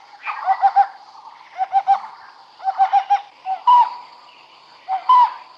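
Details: Wild smooth-coated otter calls while the animals fish at Karnali River in Nepal's Bardia National Park. Quick clusters of three or four squeaky harmonic chirps are followed by two louder, drawn-out squeals, with a faint constant high hum behind them.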